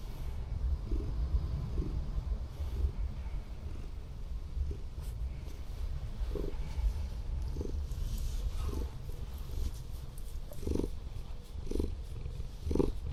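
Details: A Scottish Fold cat, a former rescue, relaxing with its tongue out during an overnight car camp at a disused harbour, purrs very loudly, a deep continuous rumble with a steady breathing rhythm.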